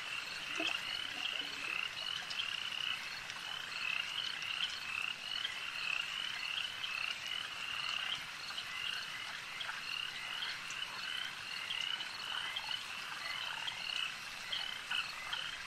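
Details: Lake frogs in full chorus, countless high-pitched, clicking croaks blending into an unbroken pulsing drone that holds steady for the whole stretch.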